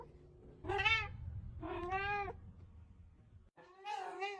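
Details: Pet cat giving three clear, drawn-out meows, the second arching upward in pitch before dropping, with a quiet pause and low background rumble before the last call.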